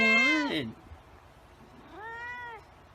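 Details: White cat meowing twice: a loud, wavering meow that rises and then falls steeply, then after a pause a softer, shorter level meow with a falling end.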